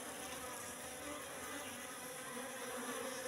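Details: Wild Asian honey bees, Apis cerana, in a trap box they entered three months ago, with young comb still lacking honey; a dense, steady hum with layered low harmonics continues without pause.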